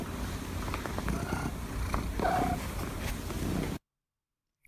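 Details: A domestic cat purr-trills, purring mixed with trilling: a low rumbling purr broken by brief chirruping trills. The purr comes on the inhale and the trill on the exhale, with every second trill voiced.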